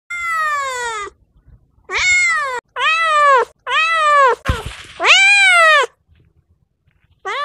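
A cat meows repeatedly, each call a long, nasal, arching wail that swells and then drops away. The meows come about once a second with short pauses, and a brief clattering noise sounds between two of them.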